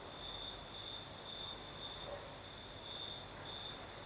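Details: Night chorus of crickets in Crimea's south, night breeze blowing: clear high-pitched chirping trills in short bursts about every half second, layered over constant breezy hiss and a thin very high background whine.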